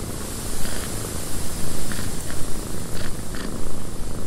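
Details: Close, loud cat purring in a cabin with wind outside: a dense low throb swelling and fading in quick pulses, a few faint breathy accents on top.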